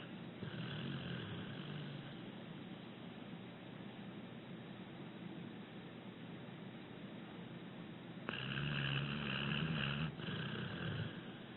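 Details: Abbie, a rescued six-year-old female pit bull, snoring gently in her sleep: faint breathy snores at the start, a quiet stretch of soft breathing, then a loud raspy snore with a low buzzing hum, followed by a brief gap and one more.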